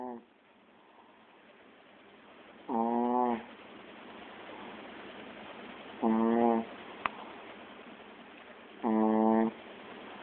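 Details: A pet Chihuahua snoring hard: three squeaky, harmonic snores come about every three seconds, each lasting under a second, with a steady low hiss between them.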